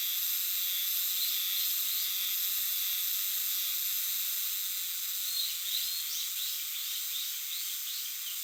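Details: Chorus of Euterpnosia chibensis cicadas in dark shrine forest: an unbroken, sizzling wall of high buzzing, with brief chirping bird notes rising above it near the end.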